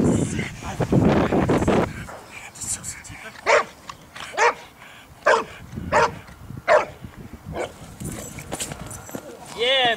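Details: Boxer dogs from a Boxer Club training for character tests and selection ahead of the Régionale de Race, at a canine education centre in St Georges d'Orques, France; after a man's talk, about eight sharp barks come roughly one a second, voices resuming at the end.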